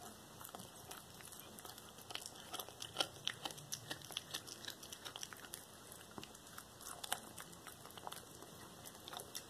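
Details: Black tabby cat devouring a whole small rat as raw prey, recorded 13 February 2022; rapid, irregular wet crunching and tearing clicks of chewing bone and flesh, with a steady faint electrical whine underneath.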